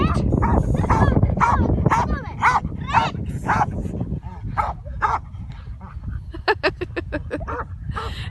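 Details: Croatian Sheepdog barking in a fast series of loud, harsh barks about twice a second, then a quieter pause and a burst of sharper, higher barks near the end, over steady low rumbling background noise.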